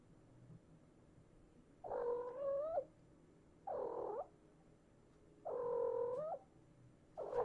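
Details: Domestic cat indoors with a mother and her kittens during mouse-hunting play: four drawn-out meows, each about half a second to a second long, slightly rising and wavering, spaced a few seconds apart against a quiet background.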